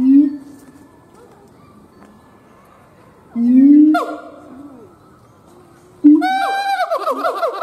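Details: Mostly quiet stretch broken by a siamang gibbon's deep boom, a swooping call, and finally a burst of bright, downward-sliding barks.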